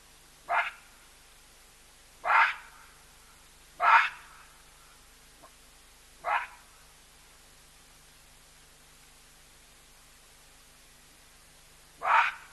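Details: Baboons giving loud calls near a drinking spot shared with a skittish cheetah and an elephant: five harsh, loud barks at uneven intervals, four in the first seven seconds, then a long quiet gap before the last, over faint background hum.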